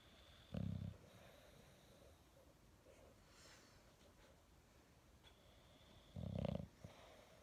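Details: English Bulldog waking up in the morning: two short, loud, low snorting snores, near 0.6 and 6.3 seconds, with faint breathing and a quiet indoor background between them.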